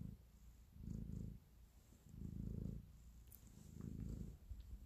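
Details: Cat kneading and purring with affection, heard close by in a quiet room; deep rumbling purr rising and falling in three long slow swells, each lasting over half a second, a tiny click in one gap.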